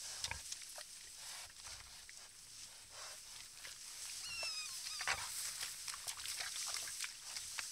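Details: A herd of wild pigs around a muddy puddle, giving short, low grunts amid sharp rustling and splashing noises, plus one quick, thin rising squeal near the middle, all over constant background hiss.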